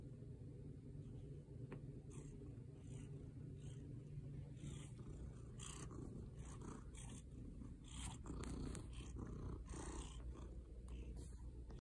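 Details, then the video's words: Nemo, a pet cat, purring; a deep, continuous rumbling purr with a fast start, steady throughout, slightly louder near the end, with faint soft rustles above it. "How to start a purr motor"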